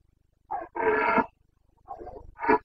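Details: Carpathian red deer stag roaring during the breeding season (boncănit) in Bucovina's mountains, 29 September 2022: hoarse, harmonic-rich bellows, one short burst then a longer drawn-out roar, followed by two more rough calls.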